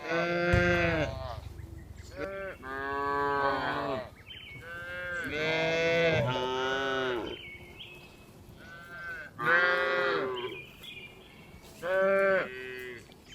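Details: Herd of tame cows returning to the barn in the afternoon, calling repeatedly: many loud, bright harmonic moos from several animals, some overlapping, with short pauses and quieter distant lowing between.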